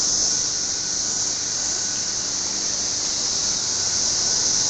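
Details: Cicadas outdoors among trees, a steady, dense, high-pitched buzzing drone that holds unbroken at the same loudness from start to finish, with no gaps or pulses.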